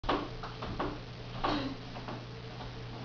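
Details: Irregular soft ticks and clicks sound over a steady low electrical hum in a small room. No animal voice can be picked out.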